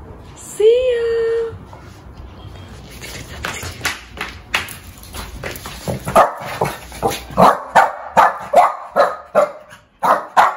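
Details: One-year-old female Shih Tzu barking angrily. A long high whining tone opens, followed by scattered clicks, then a steady series of loud, sharp barks roughly every half second to the end.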